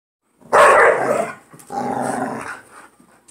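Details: Two pit bulls fighting over a toy in play, a bond described as close and loving: a loud harsh growling bark burst, then a second rougher growl after a short gap.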